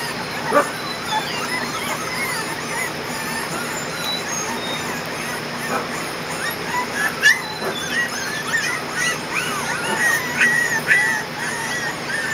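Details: Kerry Blue Terrier puppies from one litter, 20 days old, on their first day outside in a play area on June 20, 2014: many short, high whimpers and squeaky yelps overlap and rise and fall over a steady background hiss.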